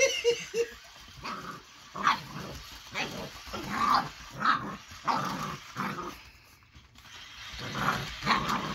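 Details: Baron, an eight-week-old Boxer puppy, growls and yaps at the moving Ollie robotic toy; bursts of harsh growling and short barks come every second or so amid toy whirring.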